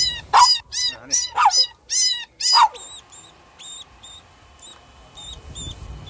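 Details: Shih Tzu giving about five high, sharp yapping barks, some in quick pairs, over the first three seconds, followed by a run of short, thin, squeaky tones repeated at a fairly steady pace.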